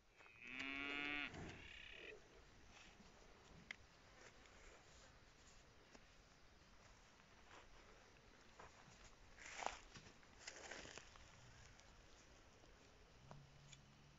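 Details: Bonsmara breeding bull giving one short, loud, harmonic bellow lasting about a second and a half, then a long stretch of faint background noise with scattered knocks and rustles.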